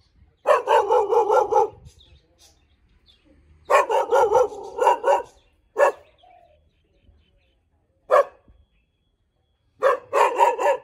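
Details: Bangkaew, a Thai dog breed, barks in loud bursts: quick series of four or five rough barks, separated by pauses, then single sharp barks and a final rapid volley.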